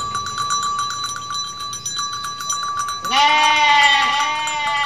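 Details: Mother goat in Indonesia letting out a single strong, slightly trembling bleat near the end, after a stretch of steady metallic ringing tones and low background murmur.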